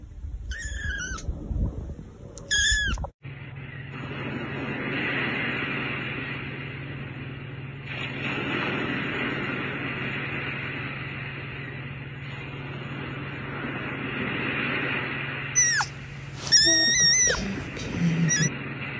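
A kitten gives high, thin, plaintive meows at the start and again near the end.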